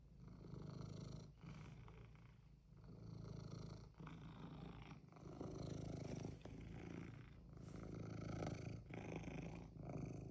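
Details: House cat purring insistently while wanting something, a deep, even rumble carrying on throughout with slight pulsing rises and falls in volume.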